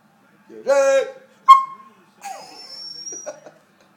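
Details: A Pembroke Welsh Corgi gives a short, wavering howl in protest at being called "Jerk", followed by a person speaking.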